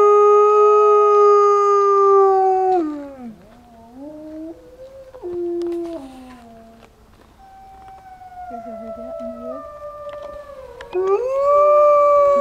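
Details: A pack of wolves, including a white wolf, at Wolf People in Idaho howl in long, smooth tones that slide and dip, with several voices overlapping; howling started by a man howling to the white wolf.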